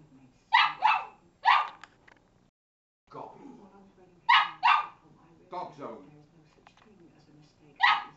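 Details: Pet female Cavalier King Charles Spaniel talking back to her owner at home: short harsh barks in pairs and a triple burst, separated by stretches of a woman's speech, with a final bark at the end.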